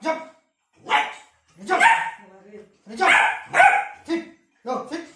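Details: A Labrador Retriever puppy barks for food in several short, harsh bursts spread over five seconds, with a person talking and encouraging it between the barks.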